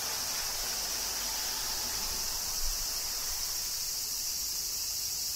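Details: Summer cicadas in Kyoto, Japan, make a continuous shrill buzzing wall of sound over a faint low rumble.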